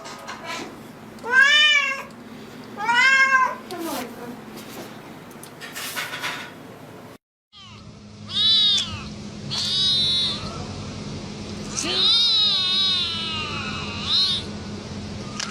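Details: Angry cat letting out two bending, high meows, then after a brief silence a series of strained, wavering cries, ending in a long quavering wail.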